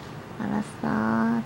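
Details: Dachshund whining because it wants chicken: a short steady nasal whine followed by a longer, level, high-pitched whimper, close and loud indoors.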